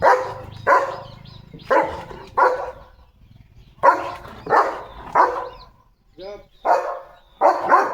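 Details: German Shepherd named Leo, eager about a sealed box brought for his health, barks in loud paired bursts, about ten in eight seconds, with a brief softer whine between them and faint voices behind.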